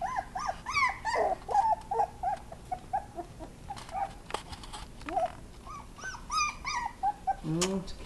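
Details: Several Miniature Pinscher puppies crying while playing indoors: a constant run of short, high, arched whimpers and squeals, roughly two per second, with a woman's voice talking softly in between.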